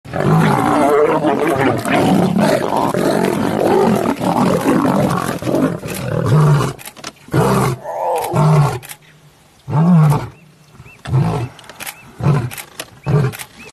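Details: Lion roaring: a dense, rumbling roar for about six seconds, then a series of short, deep, repeated grunts with gaps between them, tapering off toward the end.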